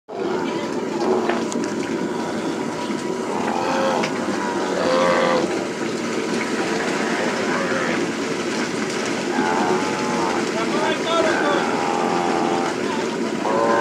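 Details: Calves and cattle being branded during ranch work on the plains at Hato Las Carmelitas. Overlapping bawls and moos from several animals rise and fall almost continuously over a steady, dense background din.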